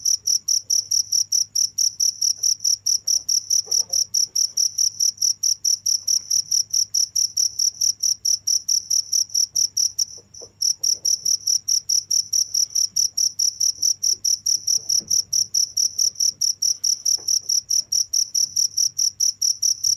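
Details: Continuous cricket call: rapid, evenly spaced high-pitched pulses, roughly four each second, with a brief break near the middle before the same steady rhythm resumes over a soft low hum.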